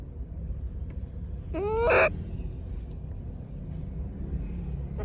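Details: A single rising, strained harmonic cry from a monkey calling to people, cut off after half a second, with low rumbling background noise.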